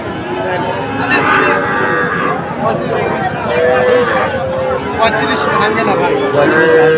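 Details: Young Sahiwal bull calves at the Ambari cattle market in Dinajpur, Bangladesh, on 24 May 2024. Mid-pitched, drawn-out moos rise and fall among steady crowd chatter and men bargaining nearby.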